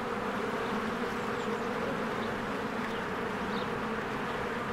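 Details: Spring beehive with swarms of honeybees coming and going at the entrance: a thick continuous buzz of many wings, low and even, with a few brief faint bird notes above.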